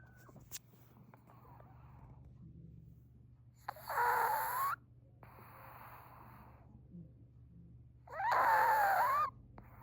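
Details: A sleeping Chihuahua snoring indoors: two loud, wheezy, rasping snores with a softer breathy exhale between them, against a low steady hum.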